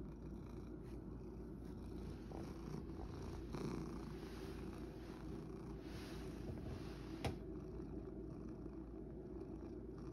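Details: A rescued male house cat purring steadily in search of a comfortable sleeping spot: continuous low rumbling purr throughout, with a brief sharp knock near the end.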